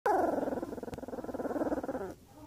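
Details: A two-week-old puppy, apparently a Belgian Malinois, gives a thin, pulsing growl that wavers for about two seconds; dog.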